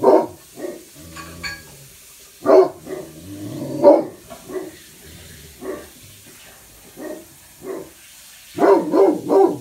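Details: Watchdog barking from two Great Pyrenees, Blanche and Lee, posted at opposite upstairs bay windows; deep woofs at uneven intervals, ending in a rapid triple bark.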